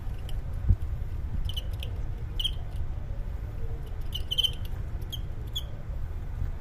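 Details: Crickets fighting: short, shrill, high chirps in clipped bursts of two or three pulses recur irregularly across nearly seven seconds over a steady low hum, with one soft knock early on and no speech.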